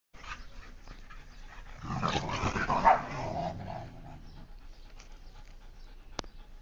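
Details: Husky and Indian Spitz dogs fighting: a dense burst of rough growling and snarling from about two to four and a half seconds, between quieter scuffling, with a sharp click near the end.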